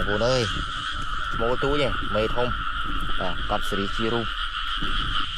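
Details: Frogs in rainy rice fields, caught by hand: a series of short, throaty, harmonic croaks in quick bursts, with voices nearby and a constant shrill background chorus.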